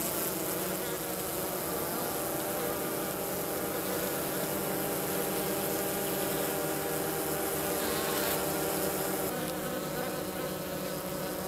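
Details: Minnesota hygienic honey bees south of St. Paul on March 16 at 50 degrees, removing dead from the bottom of the hive: a steady, dense buzzing drone of many bees with layered low hum bands, unbroken throughout.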